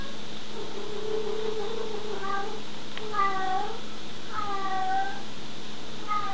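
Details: Female pet cat at play, indoors: a long low moaning note, then three clear meows, each rising then falling, with a steady electrical hum underneath.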